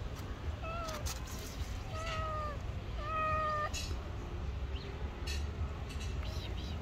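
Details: A hungry street cat begs for food with three clear drawn-out meows in quick succession, the last the strongest and flattest, then softer fainter calls, all over a constant low urban hum.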